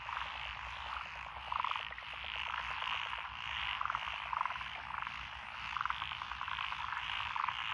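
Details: Massed frogs of several species in lotus rice paddies by a country lane in Echizen, Fukui, Japan, recorded 12 June 2021. Layered croaking fills the air, with clipped, rattling calls repeating irregularly above the steady chorus.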